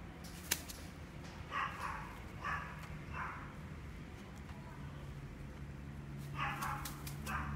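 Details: A female red miniature dachshund, born 23 May 2018, gives brief, clipped yaps indoors: a cluster of three or four early on and another group near the end, over a steady low hum.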